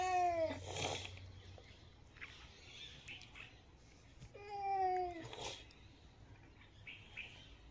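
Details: A cat gives short, bright meows, one at the very start and another about four seconds later, each slightly falling in pitch, with low room hum and small clicks in the quiet stretches.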